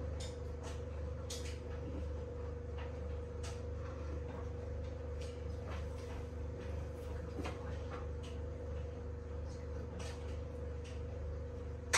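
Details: Steady indoor hum with a low drone and a faint whine, broken by scattered soft clicks and knocks, as in a kitchen.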